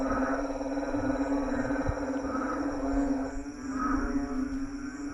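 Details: Group of frogs on a lawn after dark producing a thick, resonant croaking chorus, with deeper grunts swelling every second or so over a constant hum.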